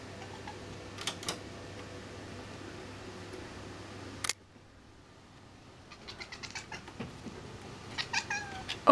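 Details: Kitten Sql, indoors and hunting a fly, makes a rapid string of short, clipped chirps followed by a brief rising harmonic call, after a sharp knock and a quiet pause; faint room hum underneath.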